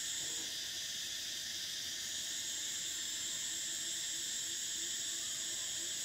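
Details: A constant high sizzling hum of cicadas in summer, the intense upper tone dropping out briefly near the start before returning, with a faint lower pulsing buzz running underneath.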